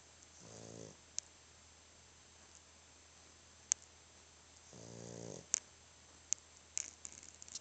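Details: Sleeping dog snoring: two raspy, pulsed breaths about four seconds apart, each lasting roughly half a second, with scattered sharp clicks and ticks in a quiet indoor room.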